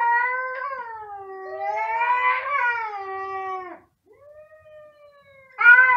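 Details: Two cats wailing very loudly, overlapping voices; long wavering meows rising and falling, a brief silence, then a softer drawn cry and a sudden loud new yowl at the end.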